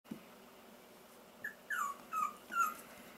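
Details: Four-week-old Pomsky puppies, 75% Pomeranian and 25% Siberian Husky, F1b cross litter; four short, thin, falling squeaky whimpers in quick succession, faint and high, with a quiet room background.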